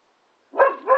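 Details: Labrador x Staffordshire Bull Terrier puppy playing with a trampoline; half a second of silence, then two short, harmonic, yappy barks in quick succession, the second cut off at the end.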